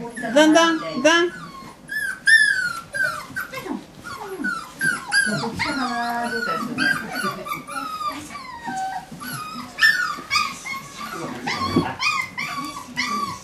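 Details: Several medium poodle pups fill the recording with high, looping whines and squeaky yelps, overlapping and irregular. Occasional human speech is mixed in. Recorded October 22nd, 2013.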